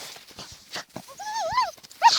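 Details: Dachshunds Tasya and Kessi digging in a field in autumn 2015: a short, clear whine that rises and falls in a smooth arch, following a few faint scratchy sounds, with a sharper whine starting at the end.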